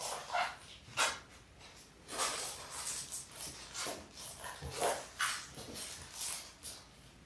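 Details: Six 6-week-old Labrador Retriever puppies, three male and three female, born January 18, 2022, indoors on a live puppy cam: short high yips and whimpers sounding several times in quick, irregular bursts over soft rustling.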